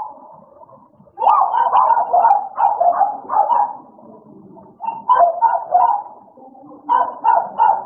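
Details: Two American Bully dogs, Idol and Alice, playing together: after a second of quiet, bursts of throaty barks and grumbling growls come in clusters, with short lulls between each rowdy flurry.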